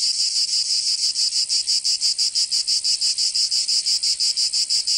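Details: In summer in Provence, France, cicadas produce an intense sizzling buzz that swells and dips in fast, regular throbs about four times a second, continuous and unaccompanied.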